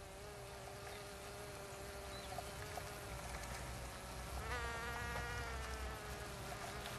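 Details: Buzzing bees filmed in Finistère, Brittany, western France. A continuous hum rises and dips slightly, and midway a second, brighter buzz swells in over it, with faint low rumble beneath.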